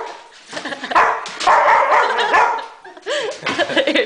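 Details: Barking from Thor, a Great Dane upset by a remote control helicopter, overlaps with a person's soothing voice; deep barks crowd together in the first half, then fainter yips follow.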